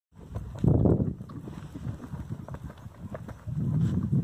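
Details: Purebred Lusitano horse named Mercúrio do Castanheiro at the Coudelaria Aguilar stud, recorded 9 March 2019; dull, low thudding hoofbeats, uneven and fairly quick, with a louder burst near the start and again at the end.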